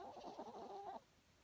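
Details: Herbie, a sleeping small dog who snores loudly every night, gives one brief, whistly, wavering snore of about a second against a quiet background.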